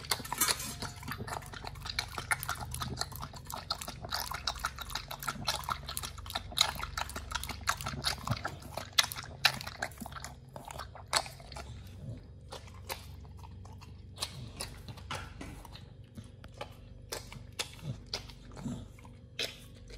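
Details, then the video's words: Nomyen the Pit Bull biting and grinding raw fish and duck feet, loud sharp cracks of bone at uneven intervals between quieter wet chewing, growing sparser toward the end. "nomyen the Pit Bull eats Raw 3 Fish&Duck Feet combo [ASMR] BARF | MUKBANG 動物の咀嚼音 | 犬が生の肉を食べる"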